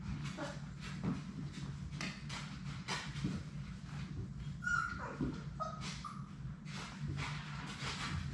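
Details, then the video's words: Labrador Retriever puppies from Sadie's litter of six play in their puppy play room. Short high whimpers and squeaky yips rise out of steady shuffling, paw scrabbling and a low room hum. "Labrador puppies at play!"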